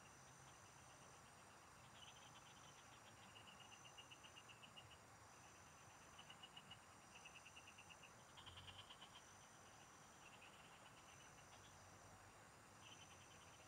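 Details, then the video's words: Several frogs singing in the fields, recorded during fishing: short bursts of rapid, evenly pulsed clicking notes, each run lasting about a second, overlapping from different callers, over a steady high insect-like hum. "Pikinggan mo Ang MGA huni Ng MGA Palaka SA bukid| Relaxing Frog Singing"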